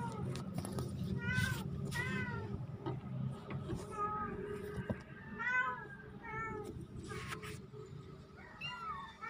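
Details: Kittens, two of them, on October 17, 2024, giving short, bent mews every second or so over a low steady hum, with scattered knocks and faint background voices.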